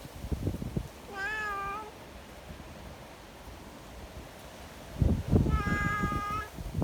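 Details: Affectionate community cats meeting outdoors in strong wind, seeking petting; two drawn-out meows, each under a second, the first gently arched, the second steadier, separated by gusty low wind and rustling.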